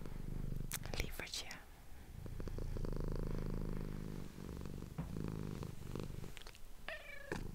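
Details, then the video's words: Close ASMR microphone recording of a female domestic cat purring: a loud, deep rumble pulsing about four times per second, with a few whispered words and soft clicks at the start and end. "ASMR cat purring"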